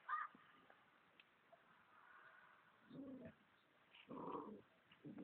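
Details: Golden Retriever named Luna while playing: short, rough, low bursts, some half a second long, arrive in an uneven run after a faint higher yelp at the start, over a steady background hiss.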